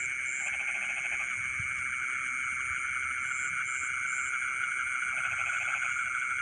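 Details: Frogs singing in rice fields in the middle of the night: two short bursts of rapid pulsed croaking, one near the start and one near the end, beneath a loud steady insect drone and faint high chirps.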